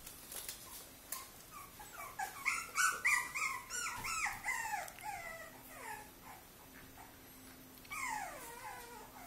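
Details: Cavalier King Charles Spaniel, a male, giving a rapid series of high, whining whimpers that slide downward, some overlapping, with a pause and then a final burst of falling whines near the end.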